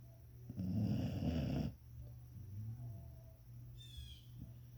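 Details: English springer spaniel snoring while asleep: one loud, rough, rasping breath lasting about a second, then quieter breathing against a steady low hum, with a brief high bird chirp near the end.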